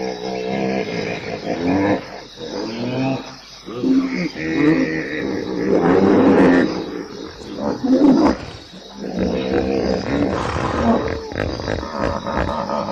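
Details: Hippopotamus making a long sequence of hoarse, roaring grunts in uneven bursts with brief pauses between, some louder, wheezy honks standing out near the middle.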